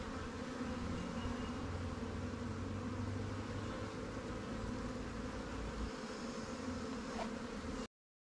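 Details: Steady buzzing drone of honey bees from freshly caught swarms housed in Langstroth and Warre hives, receiving frames from stronger colonies; constant layered hum with a low rumble underneath for the first six seconds, then ending abruptly.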